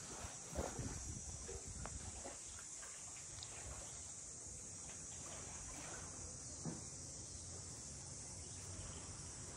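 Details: Cicadas calling around the traditional boathouses of Ine no Funaya, a port townscape north of Kyoto, heard on a walk: a steady, unbroken high hiss hangs over low rumble, faint footsteps and scattered knocks.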